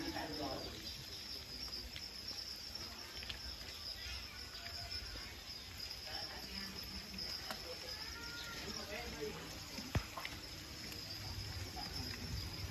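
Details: Farmed edible crickets, some six million raised as alternative protein, chirping together in a steady high-pitched shrill drone, with scattered clicks, faint voices and low machine-like rumble beneath.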